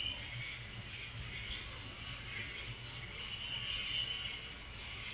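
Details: Cricket chirping after dark, heard as a bright, very high, non-stop trill with quick regular pulses and a fainter lower buzz underneath.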